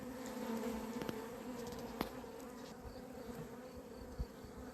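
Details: Honey bees from an apiary on 28 April 2026, described as having gone crazy, buzzing while the beekeeper waits for them to go in: a steady droning hum with a low tone and an overtone, broken by a few sharp clicks and taps.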